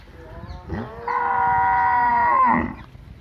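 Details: Village cow giving a single long, steady moo of about one and a half seconds, rich in harmonics and holding a level pitch before a brief falling tail; quiet farmyard background before and after.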